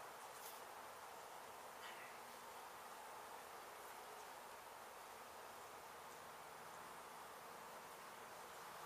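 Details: Honey bees from a hive struck by construction crews at an abandoned house under demolition in Mission, Texas, during a rescue removal; a dense, steady hiss-like buzz of many bees fills the whole stretch, with a faint rustle or two.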